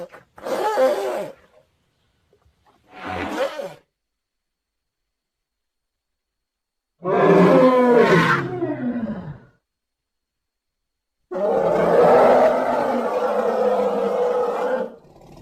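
An elephant gives loud, brassy calls in four separate bursts, each ending abruptly.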